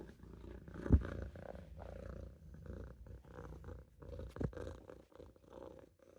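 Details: Olof, a Maine Coon kitten napping in a sink, purrs with a low, steady rumble that pulses in and out, broken by a couple of brief thumps and rustles.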